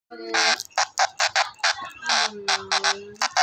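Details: Brown cicada screaming: harsh, buzzy bursts of a fraction of a second each, about a dozen in quick irregular succession, with a low hum-like tone beneath some of them.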